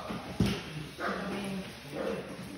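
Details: Litter of puppies about four and a half weeks old playing with baby toys while the kennel is cleaned: low, thin whines drawn out for half a second, with a thump and rustling.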